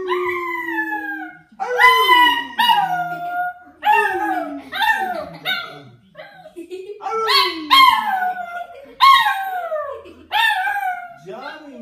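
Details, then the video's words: Chihuahua howling in a run of wavering, falling, harmonic-rich howls. Each lasts about a second, and a new one starts every one to one and a half seconds. "chihuahua loboooooooo"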